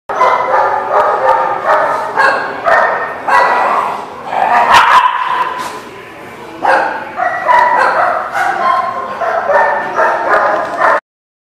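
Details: Dogs barking at a dog facility, recorded on 15 November 2019; rapid repeated barks in bursts, with several dogs overlapping almost continuously and a short pause near the middle.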